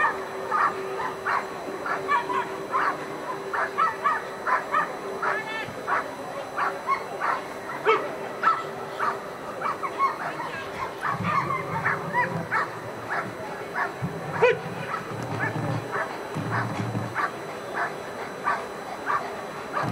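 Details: Ivar vom Falorie, a dog doing protection work at the NIAK 2015 dog sport trial, gives rapid, sharp barks repeated through most of the stretch, with crowd murmur and voices behind.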